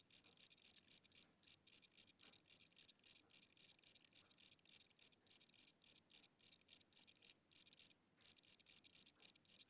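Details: Night-time cricket inside a home, old and weak-winged, producing steady high-pitched chirps at about four per second, loud and regular, with one brief pause near the end before resuming.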